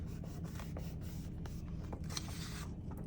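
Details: Soft scraping, rubbing and paper-handling noises over a steady low hum, with no animal sound.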